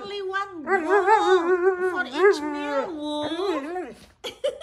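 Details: Wulf, a Siberian Husky indoors, yells at the owner because the food bowl is empty; a long, wavering, howl-like moan rises and falls in pitch for about four seconds, ending in short clipped sounds.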